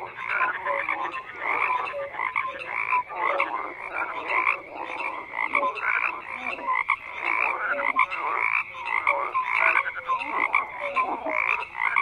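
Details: Frogs croaking in a dense, continuous chorus, overlapping rasping croaks clustered in pulses about every half second, with short whistled notes weaving through the mass of calls.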